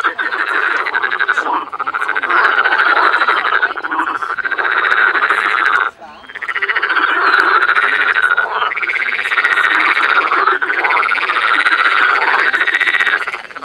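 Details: Frogs calling in spring in the botanical garden in Cologne, Germany: a dense, loud chorus of rasping croaks overlapping continuously, with brief dips near two and six seconds.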